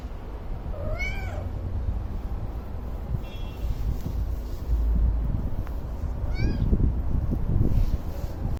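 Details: Domestic cat wanting food, giving two clear rising-then-falling meows about five seconds apart, with a softer short call between them, over steady low rumbling background noise.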